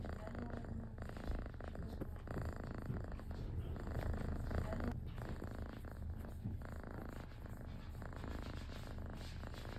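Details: Kitten purring steadily while enjoying being scratched, a continuous low rumbling throb that runs without pause and swells slightly in loudness midway, indoors with faint rustling.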